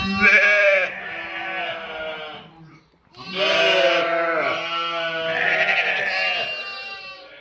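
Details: Sheep and lambs bleating, 11/5/2026: a loud wavering bleat of about two and a half seconds, a brief pause, then a long, rich, quavering bleat that carries on for roughly four seconds.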